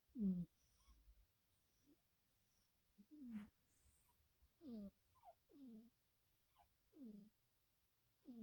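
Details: Two sleeping black cats, a former stray mother and her son, twitching in deep sleep: irregular low snuffling snores and snorts, some doubled, with quieter high wheezy notes between, in a quiet indoor setting.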